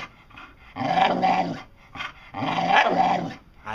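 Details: A pet dog named Dotty produces two long, modulated howl-like moans about a second and a half apart, mimicking talk as she is coaxed to say "I want some"; a person's voice prompts between.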